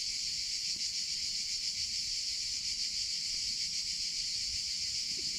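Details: Summer cicada song: a dense, shimmering buzz with a soft, uneven pulsing of about three beats per second. It continues unbroken over a quiet low background.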